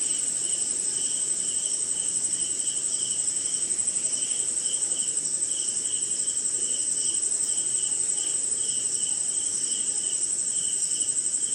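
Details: Crickets sing at night in the rain in India: a continuous high-pitched ringing trill with a lower pulsing chirp roughly every half second, and a gentle wash of rainfall behind.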